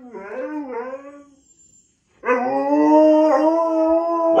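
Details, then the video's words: Pet husky in a vocal rant, first giving a short run of wavering, yodelling yowls that fade into a brief silence, then a louder, long, drawn-out howl that holds steady and rises slightly in pitch toward the end. "Another Karen Induced Husky Rant"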